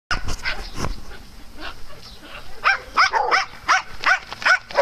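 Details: Dogs at play on a farm, with short, sharp barks repeated in a quick irregular series, loudest in the second half, over low rumbling background noise.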